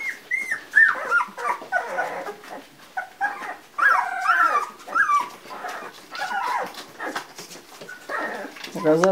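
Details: Several two-week-old Labrador Retriever pups, 11 January 2016, whine and squeal in drawn-out wavering cries, overlapping one another, while a woman talks to them softly in the background.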